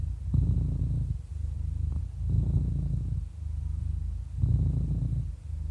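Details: Eleven-year-old cat, described as happy, purring in a deep continuous rumble that surges on inhalation and softens between, roughly three breath cycles, about one every two seconds.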